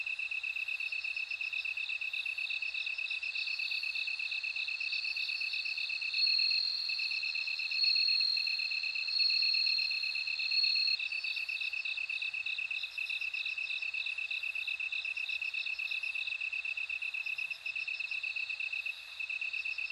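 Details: Bell cricket song: a sustained high, ringing trill swelling louder in the middle, over a steady rapid pulsing of a second, lower insect voice throughout.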